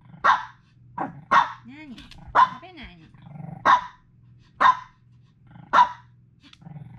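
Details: Female Pekingese dog barking on and on for no reason indoors: sharp, loud barks repeated roughly once a second with a few softer yips between, over a steady low hum.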